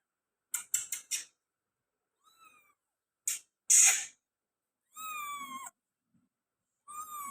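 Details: Persian tabby female kitten in Gujranwala, Pakistan, giving short, steady harmonic meows around five and seven seconds and a faint brief mew earlier, after a run of sharp clicks and one loud broadband rustling burst.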